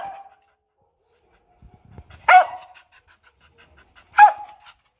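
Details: Female Mong Coc dog from the Vietnamese highlands, now kept at a lowland kennel, giving a demanding, non-aggressive bark: two loud, sharp single barks about two seconds apart, with a short trailing bark tail and quiet background.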